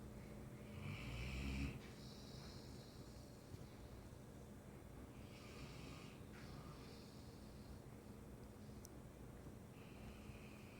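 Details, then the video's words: Mastiff asleep and snoring: a loud, deep rumbling snore at the start, then softer wheezy, hissing breaths repeating every couple of seconds, with a constant low hum in the room. "Snoring Mastiff"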